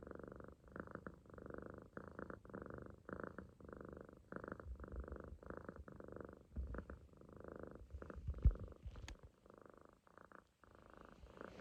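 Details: Sleeping Munchkin kitten, loafed on its owner's stomach and fully relaxed, snores steadily; rhythmic low raspy breaths repeat roughly every half second to second, with one small click near the end.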